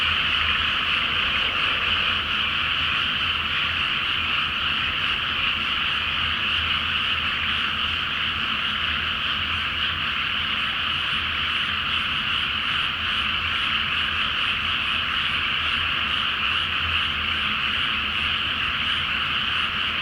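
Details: Dense night chorus of many frogs in a flooded rice paddy before planting, under a full moon; a continuous, unbroken wall of croaking with no single caller standing out, steady throughout.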